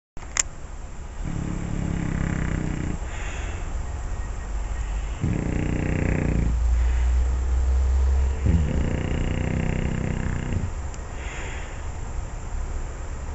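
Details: Olde English Bulldogge asleep and snoring, having just been dreaming and barking in his sleep; deep rumbling snores in long bursts of about two seconds, separated by short pauses, with faint higher breathy noise above.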